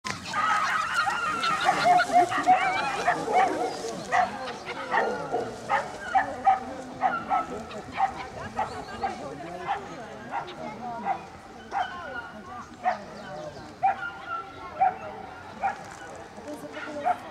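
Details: Salukis at the PL Racing Championship in Bytom, 19 September 2015, racing dogs named Fifi, Luna and Zula; a series of sharp barks and yelps repeated roughly once a second, with voices and crowd noise behind.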